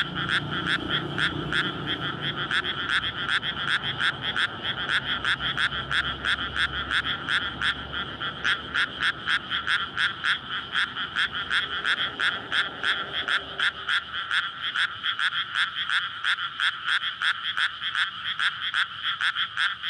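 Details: Frogs calling en masse to attract mates after a rice paddy is flooded in May, recorded at night beside a road; continuous fast pulsing croaks throughout, a low engine hum fading out midway.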